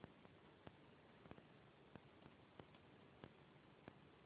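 A Corgi puppy hiccups, soft sharp clicks coming roughly every two-thirds of a second.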